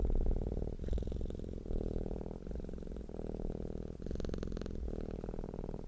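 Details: Purring cat, content and relaxed: a continuous low rumble that swells and eases with each breath, roughly one cycle per second, in a quiet room.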